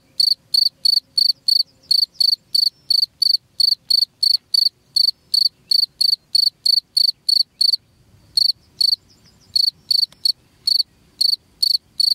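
High, bright chirps from a cricket come in a fast, even series, roughly three per second, each a brief buzzy pulse. The rhythm pauses briefly near the end while a faint low rumble sits in the background.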